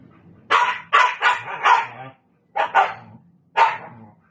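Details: A Siberian Husky teasing a Belgian Malinois gives a run of short, harsh barks and yips, grouped in quick bursts.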